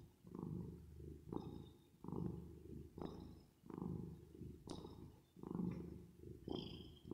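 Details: ['Domestic cat purring while resting and sleeping, with reverb effect added: low rumbling purr in rhythmic waves of roughly one per second as the cat breathes in and out, plus faint whistly tones above.']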